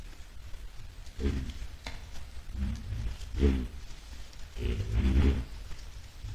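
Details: White-lipped peccaries heading toward a salt lick on 10 July 2022, giving low harmonic grunts in a few separate bursts over a steady rustling background.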